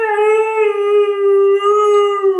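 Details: A Siberian Husky puppy gives a sustained, slightly wavering howl-like 'talking' vocalization while its owner chats to it after a trip to the park.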